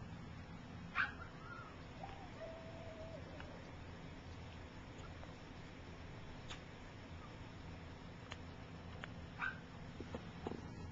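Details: Gypsy's three-week-old puppies learning to walk while some of the litter sleep; faint high squeaks open, followed by a thin drawn-out whine and scattered soft yelps over a steady low hum.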